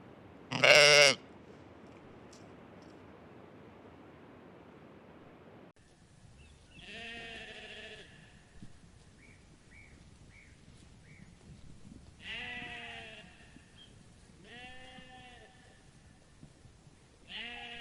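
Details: Sheep eating grass in a farm meadow, bleating: one loud, abrupt bleat at the start, then four wavering, harmonic-rich bleats spaced a few seconds apart, with a faint background hiss and soft brief chirps between them.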